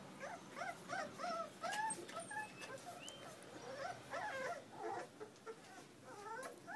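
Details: Puppies whimper steadily: thin, high-pitched whines that rise and fall, come in clustered bursts several times a second, and overlap one another, with a faint background hiss.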